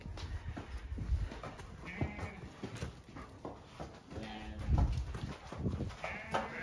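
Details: Ewes on a County Kilkenny farm in Ireland, let out to the field as gates are closed, bleat in several short wavering calls over heavy low thumping and trampling, with a person speaking nearby.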